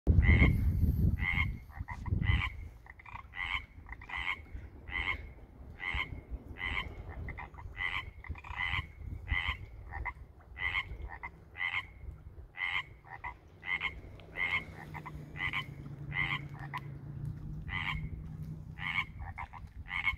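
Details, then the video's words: Tree frogs calling at a backyard koi pond in the Pacific Northwest in spring, under a year after the pond was installed: rapid two-part croaks repeated about twice a second in a steady chorus, with low rumbling noise beneath. "Frogs at the fish pond"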